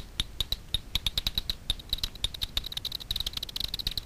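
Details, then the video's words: Daubenton's bats feeding on insects on the surface of Miedwie lake in north-west Poland, night recording from a frequency division bat detector: irregular dry clicks, roughly two per second, quickening into a rapid run near the end. "Daubenton's bats foraging over a lake (night vision scope with ultrasound detector)"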